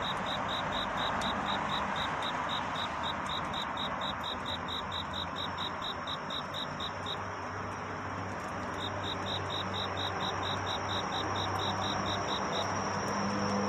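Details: Cricket singing a night courtship song in search of love: bursts of rapid, high, thin chirps, with a pause midway before the pulsing resumes, partly masked by a louder broad hiss and low rumble.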